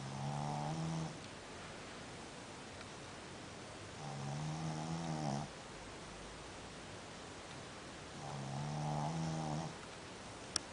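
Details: Sleeping dog snoring in deep, low rasping bursts, three snores spaced about four seconds apart, each with layered buzzy harmonics, quiet pauses between breaths in a small indoor room.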